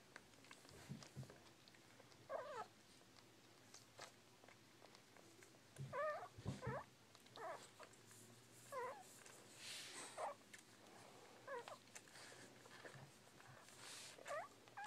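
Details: Bull Pei puppies making short, wavering squeaks repeated every one to two seconds through the stretch, with low thumps and soft rustling of the litter moving around between calls.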